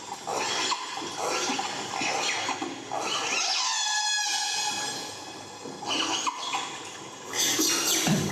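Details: A killer whale (Orcinus orca) gives high, squealing pulsed calls that bend sharply in pitch, with voices in the background. These high-frequency calls vary a lot and do not travel as far as low calls.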